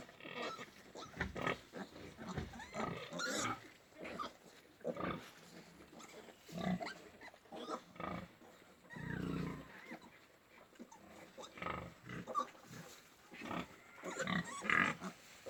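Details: Farm pigs in Golaghat, Assam, India, give a long run of rough grunts and squealing bursts, uneven in spacing and loudness, with several animals calling at once and a brief low rumble midway.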